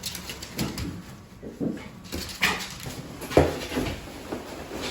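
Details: Several pet Shiba Inu dogs indoors, rushing to their owners during an emergency: soft, irregular whimpers with a couple of short, sharp yelps near the middle, over a quiet small-room background.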